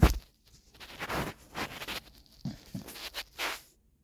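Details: Beagle named Gina snoring indoors: soft breathy noisy bursts, each about a third to half a second long, recurring irregularly with quiet gaps, some lower and rougher, others brighter and hissing.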